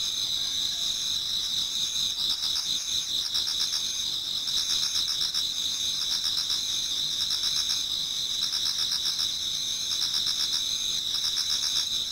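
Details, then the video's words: Towards dawn in autumn, numerous insects sing in a Japanese garden, making a shrill, even wall of high trilling with quick rhythmic chirp pulses and a fainter repeated trill lower down. "Autumn Insects voice Towards dawn"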